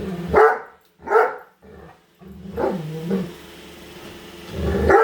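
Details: Female Great Dane reacting to a newly unboxed Roomba vacuum at home; two short barks, then a drawn-out low growling whine, with rising mechanical hiss and another bark at the end.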